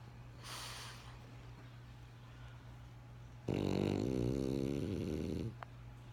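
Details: French Bulldog named Benjamin snoring: a quiet airy inhale, a pause, then one strong, rattling, low-pitched snore of about two seconds ending with a small click.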